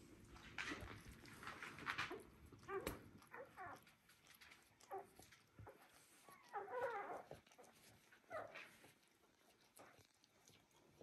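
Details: One-day-old Border Collie puppies whimpering: thin, squeaky whines in short bursts, a cluster near the middle and another toward the end, with soft rustling and faint voices in the background.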